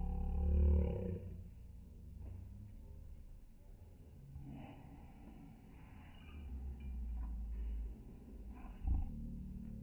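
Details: Sumatran tiger at Vandalur zoo, very angry, opens with a heavy low roar, then keeps up a rough, grumbling growl with breathy pulses. Near the end it gives a short, sharp louder burst.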